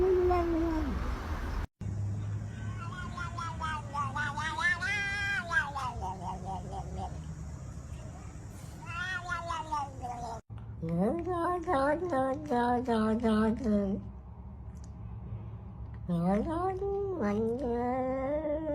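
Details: Domestic cat making several loud, wavering meows and yowls, some rising and falling in pitch, with a steady high-pitched hum and low background rumble throughout, plus brief cuts between segments.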